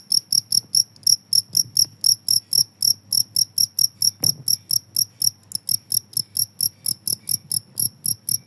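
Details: Continuous cricket chirping, a long train of short, piercing, high-pitched pulses at a brisk regular pace of about four a second, with one faint knock midway and a low hum beneath.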